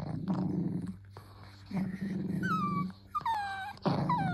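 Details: Dachshund, a playful wiener dog, gives low rumbling growls in two long bursts, then high whimpering whines that slide downward, with short pauses between them, indoors.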